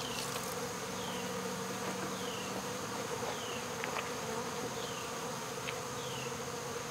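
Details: Swarm of honey bees fanning at the entrance during removal from a local baseball field, August 2014; an even, continuous buzzing drone throughout, with soft descending chirps repeating every second or so above it.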